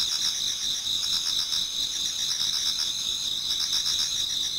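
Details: Insects singing in an autumn Japanese garden toward daybreak; piercing continuous trills with quick pulsing, several layered voices blending into one steady shimmering chorus.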